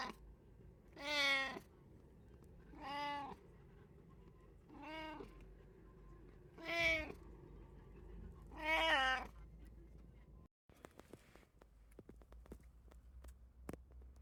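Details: House cat from a home with three cats (brown tabby, Abyssinian, short-legged Munchkin), 8 May 2024: five separate meows at roughly two-second intervals, some rising then falling in pitch, followed by a few seconds of faint clicks and quiet.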